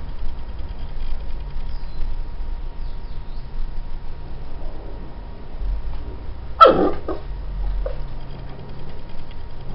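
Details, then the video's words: Female Chow Chow puppy squealing with joy while playing with her stuffed bear: one sharp, loud, high squeal about two-thirds of the way through, with a smaller yelp after it, over a steady low background hum. "Chow Chow Puppy Squeals with joy playing with stuffed bear"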